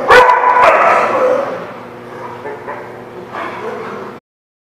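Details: Dog barking, recorded 30 June 2017: harsh, loud barks burst out in the first second, then a fading, murmuring stretch with another brief rough burst around three and a half seconds before the sound cuts off.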